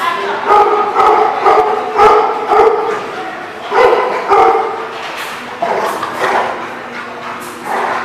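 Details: Dog barking, a run of loud, hoarse, harmonic barks in uneven bursts, some grouped in pairs, with a lower steady hum underneath.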